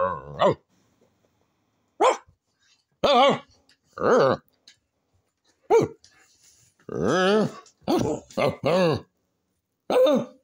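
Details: Peppi, a pet dog, 'talks' back indoors while asking for a cow's skull: a run of short, arched, harmonic yowls and grunts in irregular bursts, with quiet gaps and some human voice mixed in.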